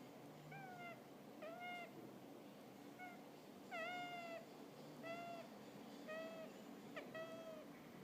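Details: A sleeping hamster snoring: a run of short, squeaky, harmonic whistles, each dipping slightly then levelling off, about eight of them at roughly one-second intervals over a soft steady background hiss.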